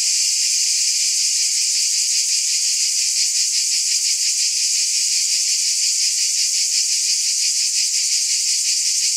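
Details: Constant bright insect hum from cicadas, a shrill wall of sound that pulses slightly but never breaks or fades.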